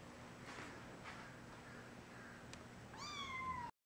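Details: Three-week-old foster kittens being moved from a crate to a basket with a red blanket; soft rustling and handling noises, then one high, thin mew near the end that slides slightly downward in pitch.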